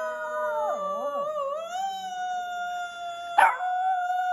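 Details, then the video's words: Continuous Shih Tzu howl, wavering and yodelling at the start, then settling into a long level tone with strong harmonics, interrupted once by a short harsh burst. "Ultimate Shih Tzu Howling compilation"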